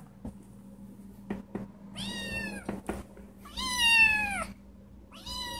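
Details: Indoor female cat meowing because she wants to go outside: several drawn-out, wavering whining meows, the longest falling at the end, with soft knocks and a steady low hum indoors.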